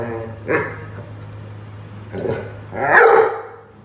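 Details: Rhodesian Ridgeback playing with a watering can, giving a few loud barks, a short one early and a stronger, longer one near the end, over a steady low hum.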